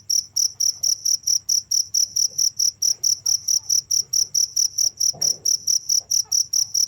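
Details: Cricket giving evenly spaced high, ringing chirps about twice a second, steady throughout, with a soft thud and light rustling near the end.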